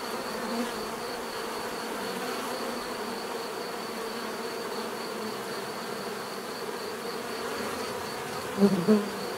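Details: Steady hum of buzzing bees, a low drone with occasional closer bees passing, and two louder buzzy swells near the end.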